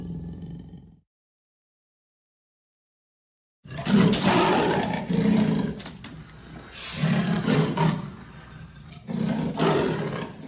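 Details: Amur leopard: a brief low rumble, a pause of near silence, then a run of harsh, rasping, sawing bursts, each about a second long, deep and gravelly, repeating with short gaps.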